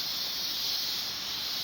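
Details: Mountain cicadas calling around coffee plantations, a continuous shrill hissing drone that holds level throughout with no pauses and no other clear sounds.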